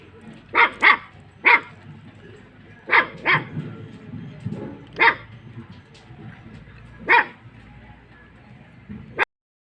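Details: Kattaikaal landrace dog barking on guard: paired and single barks, roughly eight in nine seconds, irregularly spaced, with faint low rumbling background before the sound cuts off abruptly.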